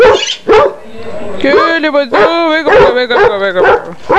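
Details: Basset hound giving loud, harmonic, baying barks in quick succession, a few drawn out into brief howling notes, with a human voice mixed in between.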